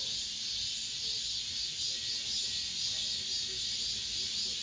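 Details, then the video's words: The summer's last cicada song within an apartment complex: many insects produce a bright, high-pitched buzzing drone, wavering slightly in loudness, with nothing else clearly standing out. "올 여름 마지막 매미소리"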